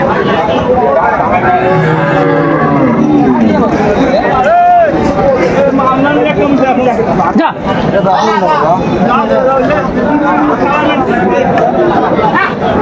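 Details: Cattle lowing at Aftabganj market, Dinajpur, where cows are sold with their calves in June 2025; a loud moo swells and bends downward midway, with other bellows and constant human haggling behind.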